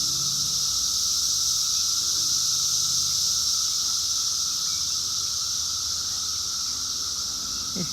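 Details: A dense chorus of cicadas newly emerged from the ground, recorded on a property with a barn in Bucks County, Pennsylvania, makes a steady, hissing drone with a lower, even hum running underneath.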